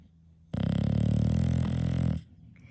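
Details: English Bulldog, one of five in a home, letting out a long, loud, low snore of nearly two seconds, a continuous throaty rattle with rapid flutter, then dropping back to quiet breathing.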